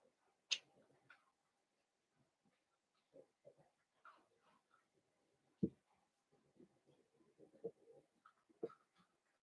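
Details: Litter of five blenheim Cavalier King Charles Spaniel puppies, born on New Year's, indoors in their pen: faint whimpers and soft grunts, with a few sharper yelps rising above the low murmur.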